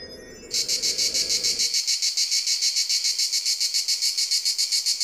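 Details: Cricket calling in a loud, high, regular pulsed trill of about three to four chirps per second, starting after a short low noise that fades out early on.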